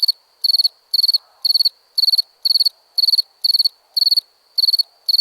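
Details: Cricket chirps made of rapid, high, buzzing pulse groups, repeated close to twice a second, clean and without background sounds.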